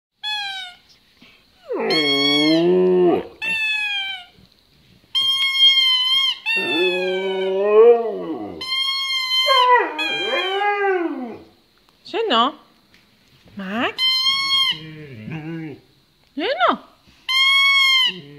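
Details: An 11-month-old Siberian Husky in Jordan howls while playing with his toy, in wavering, rising and falling bouts alternating with the toy's shrill squeaks.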